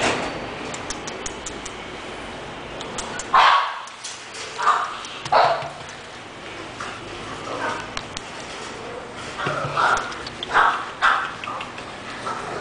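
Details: Yves the English Bulldog lets out a series of irregular barks, three spaced near the middle and a tighter cluster toward the end, over low background hum and some faint voices.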